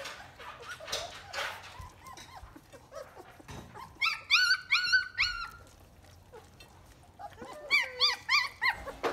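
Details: Three-week-old German Shepherd puppies from the litter of Akela and Max, newly walking and opening their eyes, give high squeaky whimpers, then two bursts of rapid, rising-falling yelps repeated about three per second, with soft rustling between.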